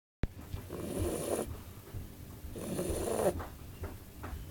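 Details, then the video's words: Bulldog named Ebony snoring: two long, rasping breaths with a rough low-mid rumble, each lasting under a second and spaced about two seconds apart, with quieter breathing between them. "bulldog snoring"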